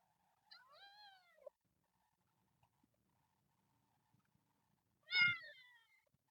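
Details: A kitten from a group of temple cats living in nature screams: two drawn-out, harmonic-rich meows, the first wavering and falling, the second louder and harsher about four seconds later, with quiet gaps between.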